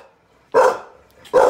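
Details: Two loud, harsh barks about a second apart from a Staffy-Ridgeback cross rescue dog named Lizzie, warning off someone she doesn't know acting suspiciously at her wheelchair-using owner's door, quiet between them.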